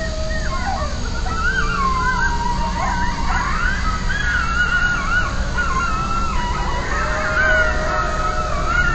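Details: Coyotes yelping at night, set off by a distant siren: a chorus of wavering, warbling high yips and howls overlapping one another, rising and falling throughout, over a steady low rumbling hum.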